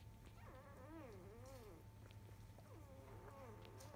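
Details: Black field-type Labrador Retriever puppies, five days old, nursing at 11:30 a.m., three staying behind to drink milk; thin wavering whimpers rising and falling between mid and high pitch, several overlapping, over a steady low hum.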